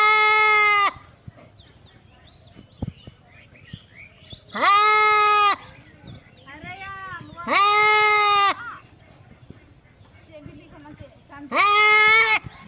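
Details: Goat bleating: three loud, long harmonic bleats of about a second each, spaced roughly every three to four seconds, with quieter vocal sounds and soft clicks between them.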